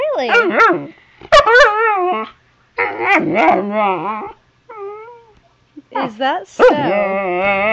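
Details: Zoey the Husky puppy answers her owner with a series of wavering, rising and falling howl-like moans and short whines, some pauses between phrases and the owner's voice chiming in.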